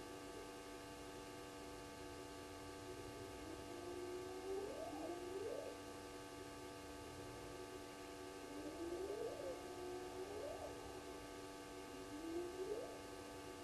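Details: Wild hyenas heard calling around 02:35 at a waterhole in Djuma Game Reserve, Sabi Sand, South Africa: a series of softer, rising whoops, each sliding upward, repeated every few seconds beneath a constant humming background.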